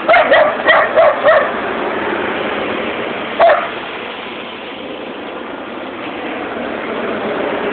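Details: Running border collie Holly on a dog walk fires off a rapid burst of four yippy barks, then one more after a pause, with continuous rushing, engine-like noise throughout.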